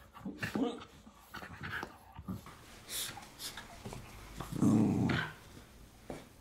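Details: Miniature Schnauzer growling during a tug-of-war game in a small room, March 2016: soft scattered grumbles and huffs, then one louder low growl lasting about half a second near the end.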